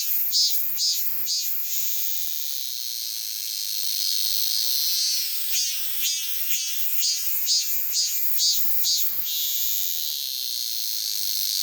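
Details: Cicada song: a steady high buzzing drone overlaid by bursts of loud rhythmic pulses, about two per second, in two series separated by a smoother stretch of continuous hum.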